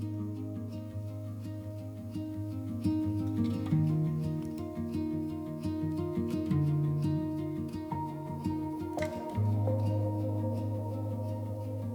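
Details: Soft plucked-string music with low sustained tones plays throughout, with no animal voices.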